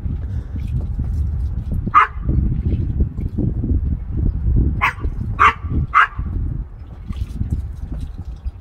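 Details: Barking of Oscar the Chihuahua during a squirrel chase in Iowa following the 2020 derecho: one short high yap, then after nearly three seconds a rapid run of three more yaps, against constant low-pitched outdoor rumble.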